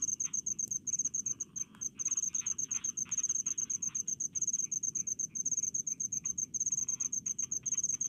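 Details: In village paddy fields, crickets trill with sharp, high-pitched pulses delivered in quick runs separated by short breaks, accompanied by faint rasping ticks and a soft low murmur of ambient noise.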